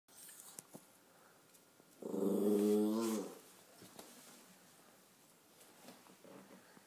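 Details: Chihuahua acting tough, a male dog shown as a tough guy, giving a single low harsh growl lasting about a second in a quiet indoor room, with faint background noises before and after.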